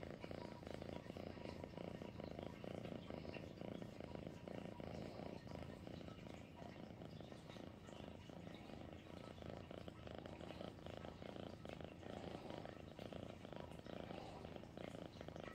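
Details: Domestic cat purring for a long stretch, a dense, even low vibration with slight rhythmic pulsing and no other clear sounds.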